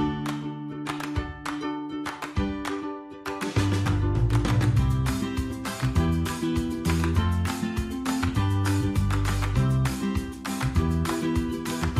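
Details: Upbeat plucked guitar and ukulele music plays throughout over a bouncing bass line, with no animal voices.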